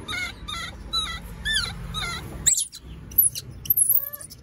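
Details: Baby monkeys at an animal market wail in a run of wavering, harmonic cries about twice a second. Sharp, very high squeaks and a few short tonal notes follow.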